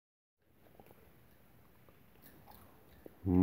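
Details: Soft chewing and biting noises in a small indoor room, low and quiet, ending in a loud thump near the close; no animal voice.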